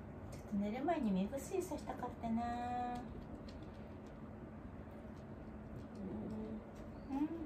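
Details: Wanta, an elderly dog in home care, groans in his morning routine: wavering, whine-like tones rising and falling in quick bends, a longer steady moan near the middle, and softer cries toward the end in a quiet indoor room.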